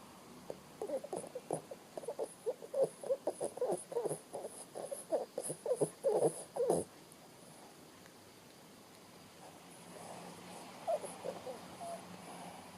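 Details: Bo Bo, a Shih Tzu, asleep and snoring: rapid series of short rasping snorts for about seven seconds, then quiet with faint soft breaths later.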